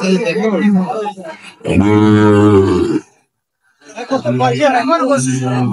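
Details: Sahiwal bull calf at a market, bought by a farmer from Narayanganj, dated 3/6/25. A deep, sustained, richly harmonic moo lasts just over a second. Men talk in Bengali before and after it.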